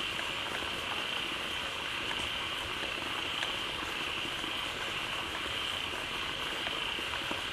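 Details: Many frogs gathering quickly in a pond as a waterfall begins flowing into it, calling loudly all together; a dense, unbroken chorus with a steady high buzzing band and scattered crackling clicks over a hissing, water-like background.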